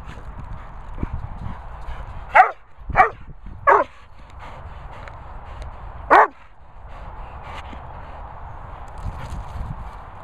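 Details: Airedale Terrier mooching, giving short sharp barks: three in quick succession about half a second apart, then a pause and one more bark, over a steady low background hum.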